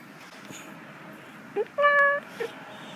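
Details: Meru, a cat, feeling good while basking in the sun, recorded 4 December 2021: a short soft chirp, then a steady, even-pitched meow lasting under half a second, and a brief faint squeak after it, against a low background hiss.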